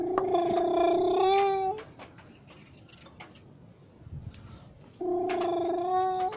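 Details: Cats meowing near midnight on Christmas Eve 2017 in Jaromin while being given Christmas wafer: two long, level, nasal meows, the first rising at its end, separated by a quiet gap with faint movement.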